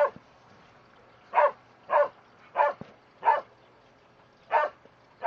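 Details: Border Collies Starbuck and Trixie playing in the sprinklers; sharp, mid-pitched barks come singly at uneven intervals, six in about five seconds, over a quiet background.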